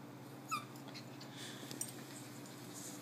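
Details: A 12-week-old female Corgi puppy, playing with a new friend, gives a single short, high yip that drops quickly in pitch.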